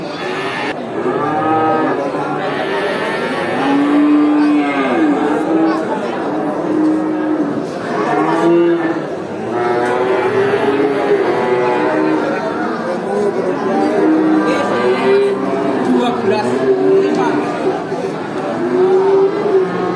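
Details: A herd of cows at a traditional animal market, long drawn-out moos overlapping from several animals, some higher and wavering, over a steady busy background murmur.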